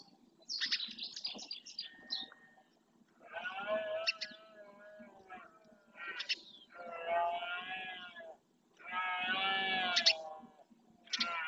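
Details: Red deer males in rut in the Doñana marshes, Spain, bellowing to stake out territory. A series of harmonic, moaning roars comes in bouts of one to one and a half seconds, four or five in quick succession. Brief high chirps sound at the start.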